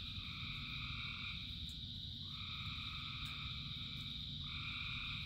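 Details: Frogs in rain: two long, steady two-toned calls, each lasting about two seconds, follow one another with a short break and a third begins, above a constant high-pitched chorus and steady rain hiss.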